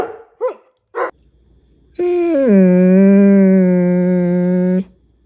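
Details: German Shepherd dog. A German Shepherd lets out two short, sharp yips before a sustained howl. The long cry starts higher, drops quickly and then holds a steady, rich low tone for nearly three seconds before stopping abruptly.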